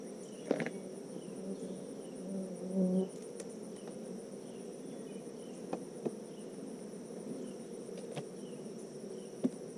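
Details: Honeybees on a farm in the foothills of the Smoky Mountains, Tennessee, during a hive inspection: a dense, steady low hum of many bees, with occasional clicks and taps of handling and a faint high whine.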